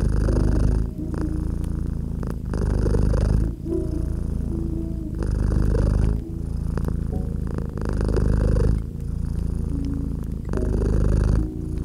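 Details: Domestic cat purring beside a crackling fireplace in a cozy winter setting: deep, rumbling low purr swelling and fading with each breath about every second and a half, with sharp crackle pops from the fire throughout.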